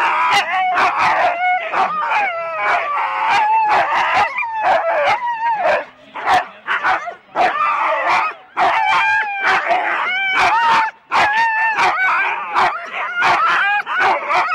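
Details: Excited Huskies in four-dog sled teams at the Rendlesham start, January 2016, keep up a steady clamour of wavering yowls and quick repeated barks, briefly dipping twice before the noisy chorus resumes.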